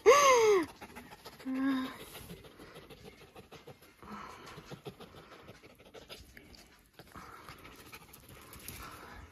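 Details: A wild fox indoors opens with a loud, high, downward-sliding squeal, followed a second later by a shorter, lower whine, then soft rustling and faint breathing in a quiet room.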